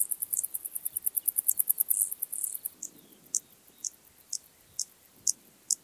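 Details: Intermediate Cross-backed Grasshopper, Dociostaurus brevicollis, singing at Zalahalap, Hungary, on 18 July 2022. A rapid run of very high, dry, scratchy pulses slows into separate pulses about every half second. A quiet background hiss is also present.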